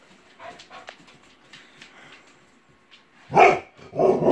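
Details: Pet dog Sam barking at a plush Snoopy toy on a shelf, which wears a hat. Quiet rustling gives way to two loud, rough barks less than a second apart near the end.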